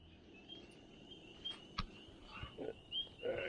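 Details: A chorus of spring peepers at a lake campsite in the Adirondacks, around sunset in black fly season, gives high, piping peeps that overlap into a continuous shrill shimmer, with faint lower thumps and a brief human voice.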